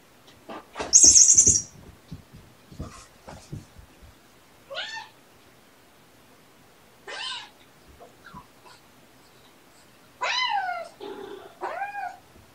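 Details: Young kitten squawking for a persistently playful littermate to stop; harsh wavering cries rising and falling, several spaced squawks over about twelve seconds, with thumps and scuffling of play between them.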